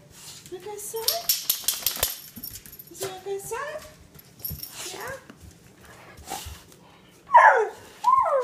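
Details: A black Staffordshire Bull Terrier puppy about 7-8 months old, just waking in the morning and stretching, makes whiny, bending 'talking' sounds in greeting, as he usually does each morning, with a person speaking softly.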